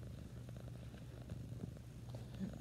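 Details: Orange tabby cat purring: a soft, steady low rumble with faint rhythmic pulsing, quiet and continuous throughout.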